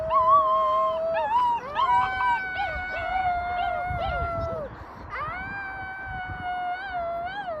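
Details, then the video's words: Chorus of rescued wolf pups, several sustained howls at different pitches running together, some wavering and dipping, a pause, then a fresh rising howl held steady. "ВОЙ ВОЛЧАТ"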